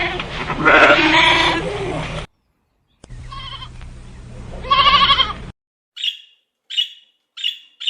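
Lambs bleat in wavering, nasal cries, two long ones followed by four short, high bleats in quick succession.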